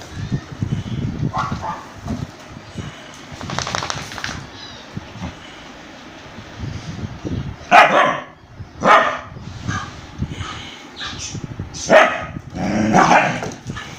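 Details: An Indian breed dog attacking a German Shepherd: low grumbling growls early on, then scattered loud harsh barks and yelps in short bursts through the second half, separated by quieter rustling.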